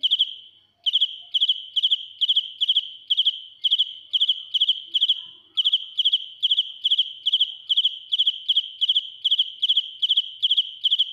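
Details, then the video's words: Dế mèn, a cricket, singing up close and shrill: a long, steady series of bright chirps, each a tight burst of three or four pulses, repeating about twice a second with one brief pause midway. "Cận cảnh dế mèn kêu, gáy inh tai - Real cricket singing"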